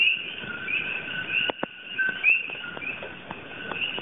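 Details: At night in Hawaiʻi, where this Puerto Rico native is an invasive species, a chorus of common coqui frogs gives overlapping two-note "ko-kee" whistled calls that rise from a lower to a higher pitch.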